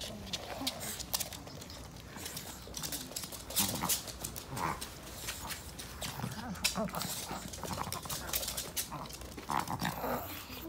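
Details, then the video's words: Male Pomeranian born 18 November 2013, kept as a pet, sleeping deeply and dreaming indoors. It makes soft, breathy snuffling snores and snorts in irregular bursts, roughly twenty a minute, with rustling between. "코고는 강아지 꿈꾸면서 자요 | A snoring dog, I sleep dreaming"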